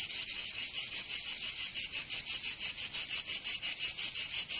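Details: Summer chorus of cicadas in Provence, in the south of France, giving a shrill metallic buzz broken into rapid regular pulses, close to three per second, continuous and unbroken.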